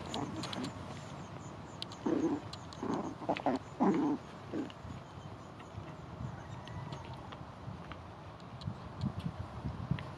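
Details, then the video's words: Seven-week-old Biewer Yorkshire Terrier and Golddust Yorkshire Terrier pups, five of them named Tuurke, Jay Jay, Chibi, Mila and Flavie, playing together; short yips and growly bursts around two to four seconds, then softer scuffling noise. "Biewer en Golddust pups spelen"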